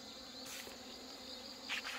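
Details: Honey bees being combined after hornet damage and mating failure, fed outdoors on the morning of Chuseok; continuous droning buzz with a low steady hum, broken by short rustling bursts near the start and end.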